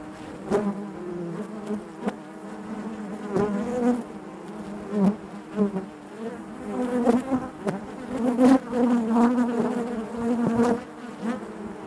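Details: Honey bees buzzing inside their hive, a dense steady hum centred low with stacked harmonics, swelling and fading as individual bees pass close, with brief clicks and taps through the drone.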